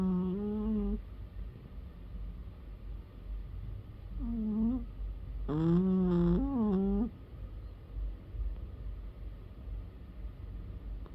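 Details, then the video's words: Pet cat snoring loudly while asleep indoors: low droning breaths with a few higher, wavering tonal sighs that rise and fall, steady low hum beneath, fairly quiet room. "My cat snores so loud"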